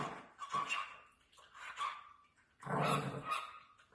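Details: Small Chihuahua puppies give shrill, rough little barks and yelps, two quick bursts followed after a pause by a louder, longer run of squeaky barking.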